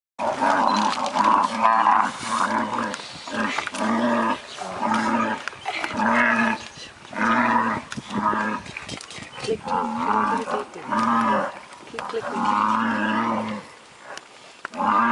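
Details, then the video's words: Water buffalo herd under tiger attack, one killed within seconds; repeated low, moaning, harmonic bellows in bursts roughly every second, with overlapping cries and general commotion. "Tiger vs Water Buffalo"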